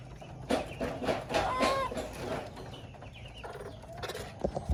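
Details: Baby monkey whistling to call its mother: a short clear tonal call that rises then falls, with a faint echoing overtone, amid a few softer squeaks and background rustling and handling noise.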